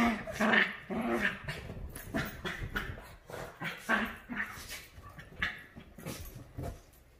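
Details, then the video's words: Havanese and Maltese dogs playing and fighting over a couch indoors, giving repeated rough growling bursts in an irregular rhythm, broadband and harsh, rising and falling in loudness about twice a second. "Havanese Maltese happily playing"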